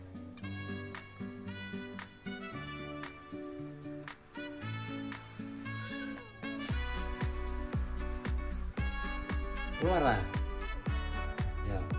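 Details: Upbeat instrumental music with steady percussion and bright melodic notes plays under occasional speech, with no animal sounds present.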